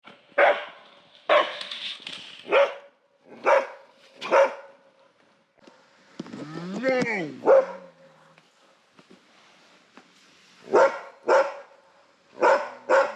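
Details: Asian black bear calling: a series of short, harsh, broadband barking bursts in irregular clusters, with a wavering, harmonic moaning note rising and falling in the middle, then more clipped barks near the end.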